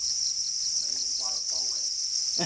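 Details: Black cricket, also called para cricket, said to be calling angrily while guarding its eggs; a steady, shrill high-pitched trill runs unbroken throughout, with a human voice speaking faintly underneath.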